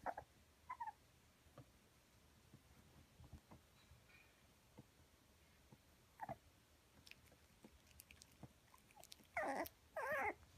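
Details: Red Toy Poodle puppy aged 48 days at a Kumamoto, Japan breeder, 16 October: a small room with faint rustling and a few soft squeaks, then two loud, wavering whiny squeals close together at the end.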